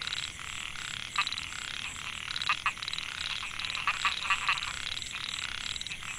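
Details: Rice-field chorus of narrow-mouthed frogs (Microhyla pulchra) at Mae Hia, Chiang Mai, Thailand, 2014. Males call to attract females. Continuous buzzy trilling, with a run of four quick, louder notes near the middle.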